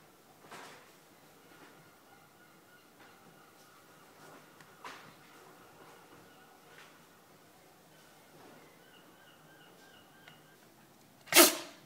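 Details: Japanese Spitz Cosmo, a male dog, in a sneezing fit after his bath: faint snuffles and soft clicks in a quiet room, then one sharp, loud sneeze near the end.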